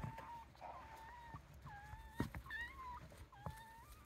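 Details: Wild Japanese raccoon dog pups, part of a family of about eight pups with their parents in Kushiro Marshland National Park, Hokkaido, give thin, high whistled whines, some level and some bending up or down.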